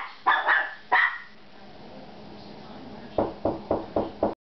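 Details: Dog barking at home after a knock on the door: two loud barks, a quiet pause with low hum, then a quicker burst of five shorter barks.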